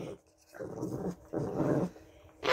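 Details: A Shih Tzu gives low, grumbling growls in short bursts, refusing to have its paw held and nipping at its owner.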